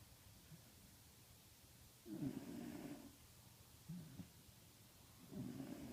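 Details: A sleeping Pembroke Welsh corgi snores in low, rasping breaths that come and go every couple of seconds, recorded at night around 20:45 on 22 December 2014.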